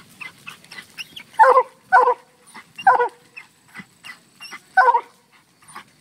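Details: A Black and Tan Coonhound barks at a treed raccoon that had been freed from a cage. Four strong, rough barks come roughly half a second to a second apart, with quieter yips and clicks between them.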